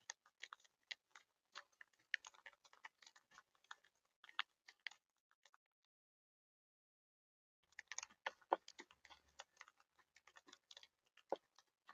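Irregular dry clicks and crunching taps, like chewing or pecking, fill the clip, with a quiet pause midway and no calls.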